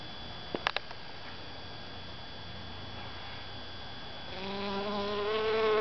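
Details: Honey bee collecting pollen in a calla (Zantedeschia) inflorescence; after a few faint clicks, a low, steady buzz with rich overtones starts near the end and grows louder as the bee comes closer.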